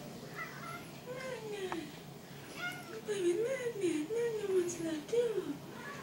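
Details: Maine Coon cats indoors, including Sidney, a dwarf Maine Coon filmed as a tiny kitten: a series of bright, arching meows that rise then slide down, repeated closely, with a person talking in the background.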